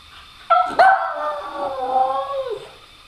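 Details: Female pet dog howling and whining while begging for her ball; one long tonal howl with rich harmonics, starting abruptly, briefly rising, then sliding slowly lower for about two seconds before fading.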